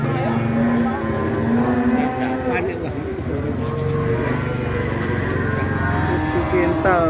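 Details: Huge Pegon cow with steady drawn-out moos, some held for about a second. Other cattle low over them, with music and chatter behind.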